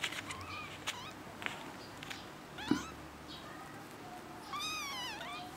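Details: Kitten meowing: several short high chirping mews early on, a wavering mew near the middle, then a longer, louder mew that rises and falls at the end, over a quiet hissy background.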